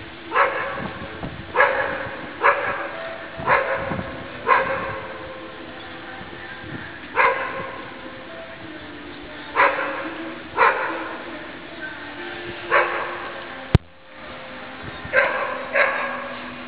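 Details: Young Deutsch Drahthaar Guarda, eight months old and daughter of Gaia, barks repeatedly, roughly once a second, in short loud harmonic bursts with brief pauses and a single sharp click midway.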